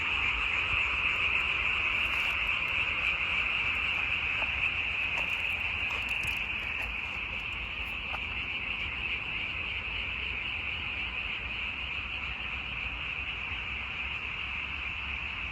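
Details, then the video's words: Frogs calling in a dense, unbroken chorus, a high steady trilling hum that holds at the same pitch and loudness for the whole stretch, with only faint scattered ticks and no other clear sounds. "와성멍 (개구리 와, 소리 성, 멍 때릴 멍)"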